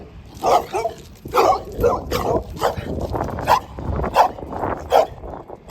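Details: Dog barking in short, sharp bursts at an uneven pace, about one bark every second, with some barks doubled and quieter yips between them, over a low rumbling background.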